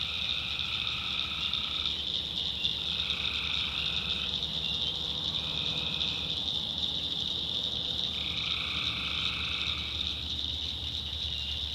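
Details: Swamp in the North Carolina backwoods at night, where tree frogs keep up an unbroken shrill chorus; separate buzzy trills of one to two seconds come in at intervals, over a faint low hum.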